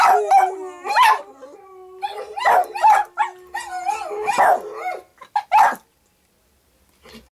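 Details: Dog named Payton singing to howling dogs on a screen, mixing sliding howls with sharp barks; a long steady note from the playback runs beneath, then a few final yips and quiet near the end.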